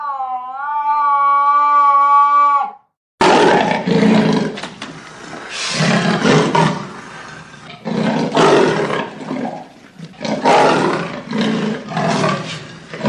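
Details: A steady, harmonic tone lasts about three seconds and stops abruptly. A leopard's gravelly, rasping roars follow in a loose rhythm of rough, sawing breaths.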